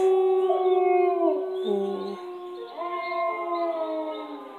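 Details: One of two pet dogs howling in response to a loud noise: a sustained, tonal, wavering howl that dips and slides, overlapped by a second voice rising and falling, with no barks.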